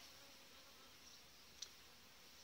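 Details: Honey bees of a strong, well-developed colony inside the hive in July, with a good breeding queen; a steady, even hiss-like hum fills the short stretch, with one brief click near the end.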